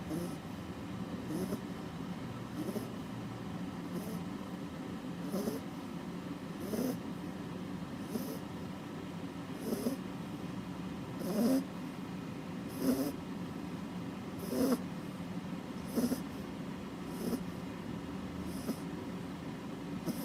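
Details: Female Labrador Retriever, nearly five months old, snoring: soft, low rumbling snores repeating about every one and a half seconds, growing slightly louder midway, with a steady faint room hum.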